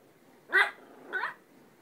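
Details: Pet dog on a talkative day, letting out two quick, high yipping barks about half a second apart in a quiet room, with no other sounds.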